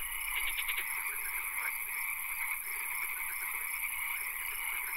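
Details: Frogs calling in a swamp at night, rapid pulsed trills and croaks overlapping in a dense chorus, with a steady high insect-like hiss and soft background ambience.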